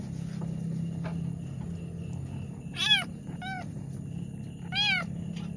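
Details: Pregnant domestic cat struggling through the birth of two kittens, giving three strained, arched meows about a second apart then a pause, over constant low hum and faint room noise.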